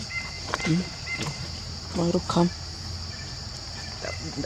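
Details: A baby monkey eating, the fifth young of its mother, gives short, squeaky harmonic chirps and grunts over a steady high hum; finding: monkey.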